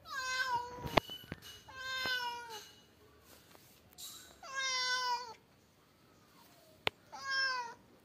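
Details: Persian cat, shown as a mother with her kittens, giving four drawn-out harmonic meows spaced about two seconds apart, each bending slightly in pitch, with a couple of sharp clicks and quiet room noise in the gaps.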